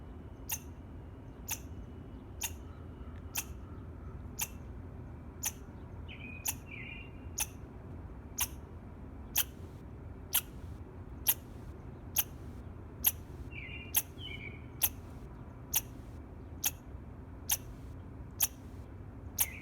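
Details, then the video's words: Squirrel chirping in the morning: sharp, very brief clicking chirps repeated roughly once a second in a steady series, with a few faint buzzy notes between and a low background hum. "Squirrel Chirping Sound in the Morning"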